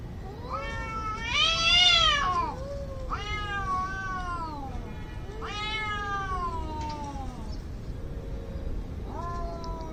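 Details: Angry fighting cats letting out loud, harsh yowls, the first swelling into a strained screech, followed by three more drawn-out falling wails and a lower growling moan, with faint background noise.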